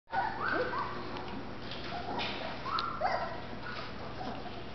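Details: Golden Retriever puppies whining and yelping in short, high, rising-then-falling cries, several overlapping at irregular intervals, with a steady low hum beneath.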